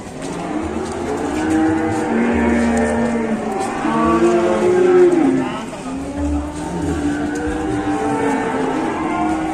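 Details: Raging cattle coming down from a truck, bellowing long, drawn-out moos with low, stacked tones, several calls overlapping and swelling mid-clip before fading, with vehicle engine noise and faint voices underneath.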